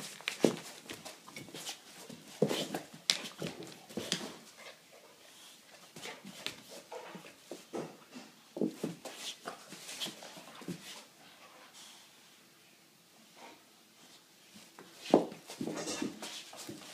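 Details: Playing indoors, a rescued American bulldog from Ireland now living in Sweden gives scattered snorts, grunts and soft whines, with thumps and footsteps between them; a quieter stretch in the middle, then a sharp burst of noises again.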